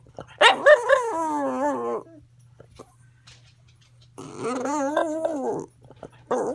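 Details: Female dog Roo, medicated more heavily than before, yodels in weird singing howls: a wavering, quavering two-second wail, a pause, then another warbling phrase and a brief start of a third.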